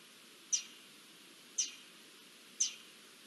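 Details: Warning calls from garden dormice at an Iberian lynx's arrival, recorded 20 June 2024: three piercing, high-pitched chirps about one second apart, each with a quick fading tail, against quiet background hiss.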